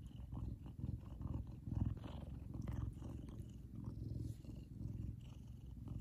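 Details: A happy male Savannah cat named Kumba purrs loudly; a deep vibrating rumble swells and eases in a loose rhythm, breath by breath, with light rustling noise in the background.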